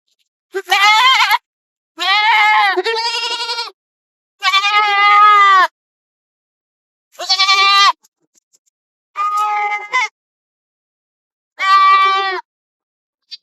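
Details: Goats grazing in forest and field give six loud, harmonic bleats, each one to two seconds long, spaced a second or two apart, some with a quavering, wobbling tone.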